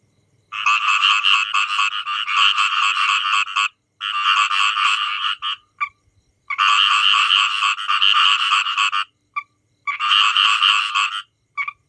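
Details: Many frogs croaking loudly in long rattling bursts of rapid pulses, each about three seconds long, separated by brief pauses and a few short isolated croaks, in an otherwise quiet setting.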